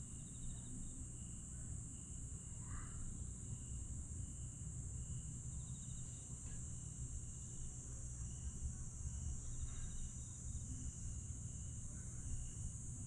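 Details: Grass insects singing after dark in Aewol, Jeju, 22 July 2022: a sustained shrill drone with pulsed trills recurring every few seconds, a brief sweeping note near three seconds, and a steady low hum beneath.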